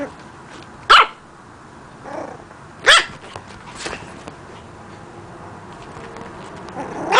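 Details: Puppy learning to bark, giving short, sharp, high barks at about one, three and seven seconds, separated by quiet pauses with faint background hiss.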